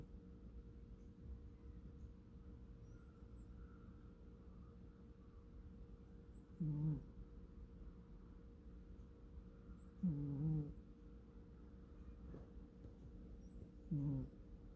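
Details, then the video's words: Sleeping American Shorthair cat named Kkomi snoring softly indoors: three low, rumbling bursts with a rasping edge, each under a second, spaced roughly three to four seconds apart, over a quiet room hum. "작고 소중한 우리 꼬미코골이"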